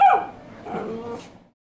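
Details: A jealous dog that cannot stand attention being paid to any other dog gives one sharp bark that trails into a short, falling whine-like tail, then stops; indoors with nothing else heard.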